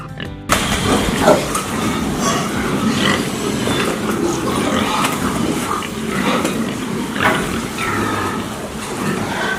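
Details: Farm pig, an animal said to feed on leftover food, giving a steady run of rough, noisy grunts and squeals with short bursts every second or so over a dense background, with faint music underneath.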